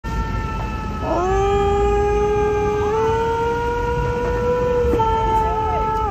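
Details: Dog in a street in the United States howling in response to a passing truck siren; long, sustained tones that rise slowly and hold steady for about five seconds, overlapping the siren's wail and a constant rumble of traffic.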